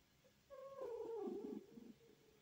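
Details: Kitty, a heavily pregnant Snow Lynx Bengal cat sleeping shortly before giving birth, gives one soft drawn-out vocal note of about a second, steady at first, then sliding lower into a wavering, grumbling trill-like ending in a quiet indoor setting.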